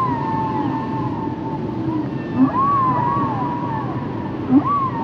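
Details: Humpback whale song from the 1970 Capitol release of Roger Payne's recordings: long tonal moans sweeping upward and holding near a steady pitch, with short rising yelps around the second and fourth-and-a-half seconds over a constant hiss of ocean noise.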